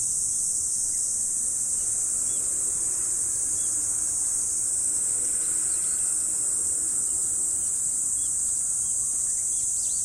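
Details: Steady, piercing trill from insects on an autumn morning, constant in pitch and loudness, with faint sparse bird chirps dotted through the background.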